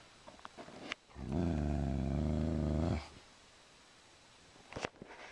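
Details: Sugar Tree, a female Dobermann indoors in a living room, growls at a cow skull newly hung on the wall, trying to protect her owner: one steady, deep rumbling growl lasting about two seconds, framed by quiet room noise and a few faint clicks.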